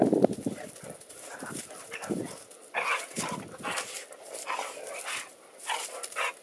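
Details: A male and a female dog playfighting in a yard, one loud, one quiet; throaty growling and clipped barks in uneven bursts, with scuffling noises between them.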